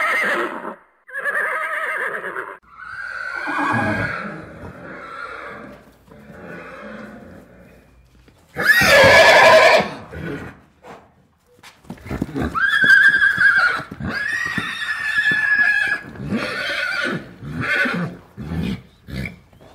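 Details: Horse calling with several whinnies of varying length, a sharp loud snort burst near the middle, and a long harmonic neigh in the second half followed by fading nickers.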